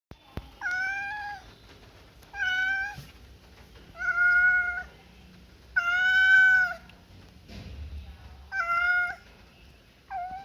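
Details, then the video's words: Pet cat meowing repeatedly: six steady, tonal meows roughly every two seconds, some short and some drawn out, with faint household background noise. "Why cats making noise?"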